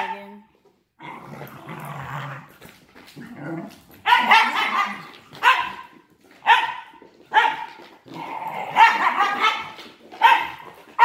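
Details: Two wire fox terrier brothers, Lex and Reagan, wrestling in play, Lex wriggling on the ground with degenerative myelopathy and kicking his legs into Reagan: rough growls and harsh bark-like snarls in repeated bursts about every second, with one human remark beforehand.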